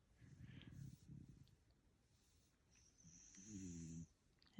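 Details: Max, a pet dog, snoring while deep asleep indoors: two rough, low rasping snores in the first second and a half, a quieter stretch, then a short voiced sound, a faint high hiss and a sharp knock at the end.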